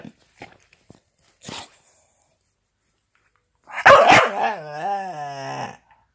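After some quiet clicks and shuffles, a Staffordshire bull terrier lets out a loud rough burst, then a long warbling moan that bends up and down in pitch. The sound is a talkative grumble rather than a bark.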